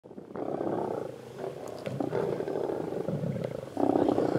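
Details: Lions of a mega pride feeding on a buffalo in the road near Satara rest camp, Kruger National Park, South Africa; harsh, rumbling growls and snarls rise and fall in overlapping bursts, swelling louder near the end, with occasional sharp clicks.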